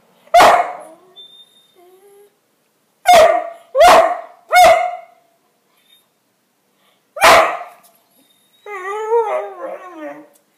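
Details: Playful two-year-old male whippet barking at a broom: single sharp barks, then a quick run of three, another bark, and a drawn-out wavering whine closing the sequence; silence between outbursts.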